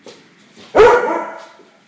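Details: A female Labrador and a female Golden Retriever at play in a dog boarding kennel; one sudden loud, rough bark-growl that fades over about a second, with faint softer sounds before it.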